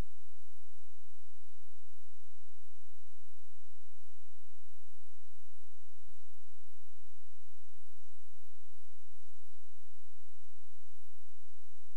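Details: Near silence in a small indoor space, with only a steady low electrical hum and faint hiss; no animal voices.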